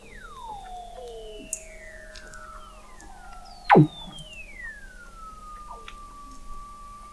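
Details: Weddell seals 21 m below the sea ice in McMurdo Sound, Antarctica, November 2017: clear, long whistles sliding downward over several seconds, overlapping, with one loud broadband knock in the middle.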